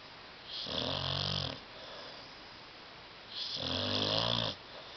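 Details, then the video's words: Sleeping dog named Tyson on a love seat gives two loud snores, each about a second long with a low buzzy rattle under a hissing breath, separated by a quiet pause. "DOG SNORING"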